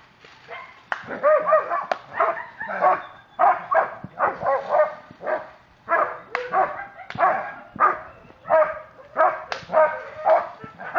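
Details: German Shepherd police dog Ricon in aggression control training at Miami K9 Enforcement, barking loud and fast in a steady run of harsh harmonic barks, about two per second, with hardly a pause for eleven seconds.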